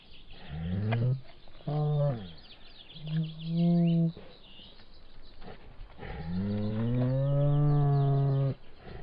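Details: Bengal tiger giving four low, drawn-out moaning calls with rich harmonic tone, the first brief and gruff, the last the longest at about two and a half seconds, separated by short pauses.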